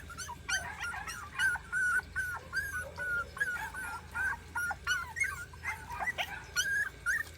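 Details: Three 40-day-old country puppies on a rural property, trying to climb a staircase, whine steadily. Thin, high whimpers arrive in quick overlapping bursts with short rising and falling slides. A low hum runs underneath.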